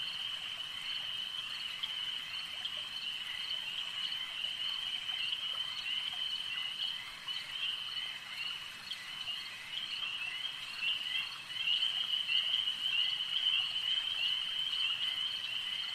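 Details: Lakeside frog chorus, many voices blending into one continuous shrill trill that swells louder near the end, flecked with quick chirps and a low background rush of running water.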